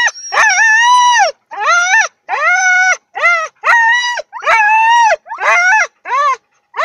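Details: Wolf-like Siberian huskies "sing" before training, giving a run of short, arched, tonal howls, each rising then falling.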